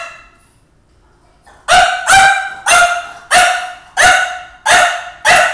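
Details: A French Bulldog barks at a video of himself and at his reflection in the refrigerator, a steady series of sharp, loud woofs roughly every half second.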